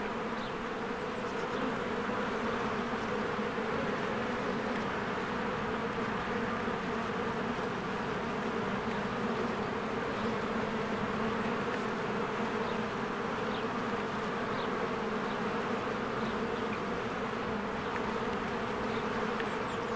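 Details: Honeybees at their hive in spring, swarms flying in and out while flowers bloom: a dense, steady buzzing hum with strong low droning bands throughout, and a few faint high chirps above.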